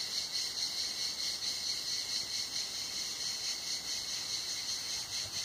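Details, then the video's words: Cicadas singing on a hot summer day at Tenuta Zimarino, heard from shelter under a mulberry pergola; a dense, continuous high buzzing chorus with a steady shimmering pulse, unbroken through the whole stretch, with no other clear sounds. "il canto delle cicale"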